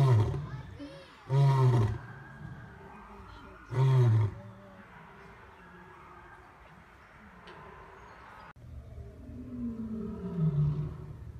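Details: Male lion letting out two deep, heavy grunting roars in the first few seconds, then a quieter stretch with faint low rumbling moans toward the end.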